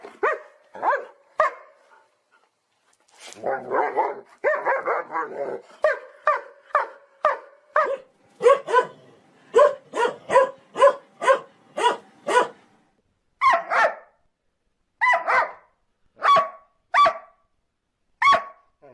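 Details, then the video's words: Dog barking naturally: a few barks, a brief pause, then a long, rapid and fairly regular series of sharp barks, slowing toward the end, in otherwise quiet surroundings. "Dog Barking Sound Effect || Dog Sound Video || Dog Sound || Dog Barking Loud"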